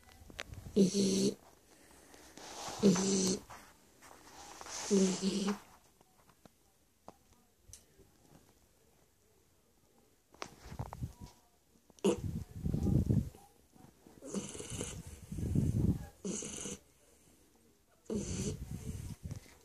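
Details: Sleeping Shar Pei, Stefani, snores in grating, throaty rasps, three in quick succession, then a pause. A run of deeper, rumbling snores follows about once a second, with faint voices in the room.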